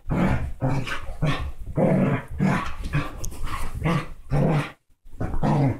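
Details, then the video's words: Basset hound and Dachshund mix dogs playing hard together, low rumbling growls in repeated bursts about every half second, with a few barks and a brief quiet gap near the end. "Basset hound and Dachshund mix Playing ruff!"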